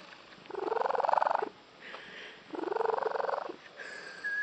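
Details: Female house cat with an unusual purr that her owners liken to a tree frog; two loud, buzzy, finely pulsed bursts about a second long, each rising slightly in pitch, separated by a quiet pause, then a faint thin whistled tone.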